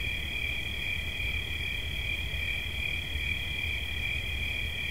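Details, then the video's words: Unwavering high-pitched cricket trill, rapidly pulsed and continuous, with a faint low hum throughout, shared as a calming nature sound. "Świerszcz. Dźwięki relaksacyjne"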